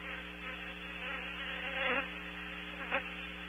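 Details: Honey bees reconnoitring a cavity outside a barn owl nest site at Audubon Starr Ranch, California: a steady low droning hum of many wings, swelling briefly as individual bees pass close, over a constant electrical hum.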